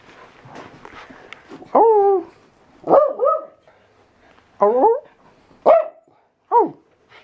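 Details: Pet dog "talking" back to a person in a small room: a series of short, wavering, yodel-like whines and yelps, about five bursts over several seconds, some bending up then down in pitch, after a man's voice at the start.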